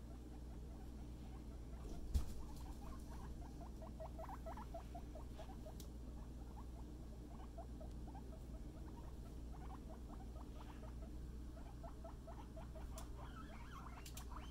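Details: Pet guinea pig Scruff playing with a friend at floor time: bursts of brisk, rising little squeaks in fast series, pausing between runs, with a single knock and low room rumble.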